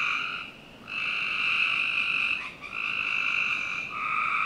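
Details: On a summer night, frogs in a Northern Virginia backyard keep up continuous trilling chorus. There is a short pause near the start and a brief stumble midway, then steady overlapping trills.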